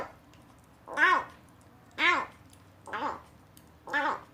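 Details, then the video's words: Kitten rescued after being abandoned in a box, first time on weaning food, giving strange little cries while eating. Four clear, bright arched mews come about one second apart, each short and slightly strained. "구조된 새끼고양이가 처음 이유식을 먹으면서 이상한 소리를 내요"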